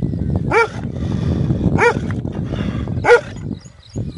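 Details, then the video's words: A big dog barking loudly: three sharp barks spaced about a second and a quarter apart, over rumbling low background noise. "Big Dog Barking Loud"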